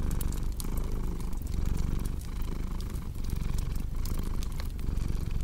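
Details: Deep, unbroken purring from a cat near a crackling fire, an ambience for deep sleep; the low vibration rises and falls in short breath cycles under scattered crisp wood pops.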